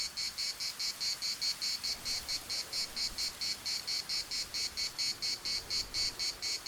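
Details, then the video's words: In the municipal park of Larnaca, Cyprus, cicadas keep up a piercing, rhythmic buzz pulsing just over twice per second, steady over a quiet background. "CICADAS at the municipal Park Larnaca"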